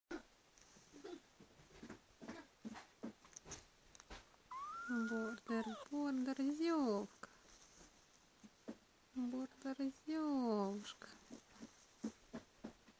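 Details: Border Collie puppies, 13 days old, indoors: rising and falling whining squeals in two bursts among soft shuffling and handling noises.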